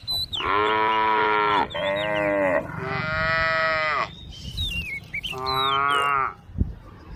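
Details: Tame cows gathered on a forest road lowing in three sustained, harmonic-rich moos, the middle one longest, with birds chirping in brief sliding notes and a sharp knock near the end.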